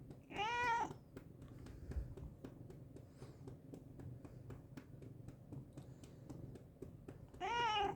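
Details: A pet cat indoors gives two rising-and-falling meows, one near the start and one at the very end, separated by several seconds of quiet room hum with faint clicks.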